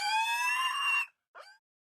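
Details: Domestic pig giving one loud, steady, shrill squeal of about a second, richly harmonic and level in pitch, followed after a brief pause by a short, weaker squeak.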